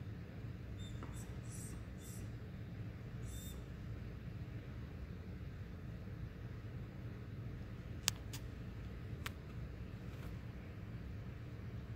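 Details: Steady low indoor hum with a few sharp clicks and faint high ticks, and no animal voice.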